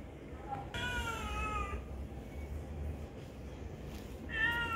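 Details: A kitten meows while being fed: one clear, drawn-out harmonic meow lasting about a second, then a shorter, brighter meow starting near the end, over a low rumbling background.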